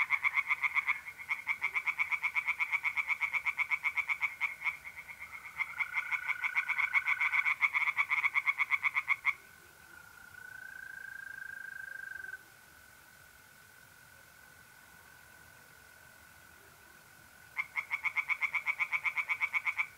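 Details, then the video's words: Tree frogs singing in a pond on a mid-April night in north-east Italy: rapid, evenly pulsed croaking runs that break off midway, leaving a steady high mole cricket trill alone before the frogs resume. "singing tree frogs in pond and trilling mole crickets by night"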